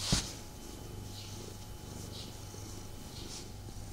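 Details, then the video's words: Pet male cat purring while snuggling with its owner: a steady low rumbling purr throughout, with one sharp brief rustle or bump at the very start and faint soft rustling behind. "ASMR Cat Snuggle Kuddle | Purring"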